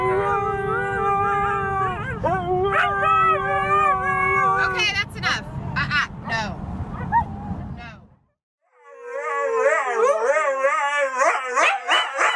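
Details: Pet Siberian Huskies singing, long steady howls with clear harmonic tones, several overlapping and held for a second or more, a pause near eight seconds, then wavering rising and falling howls; music and low rumble underneath at first.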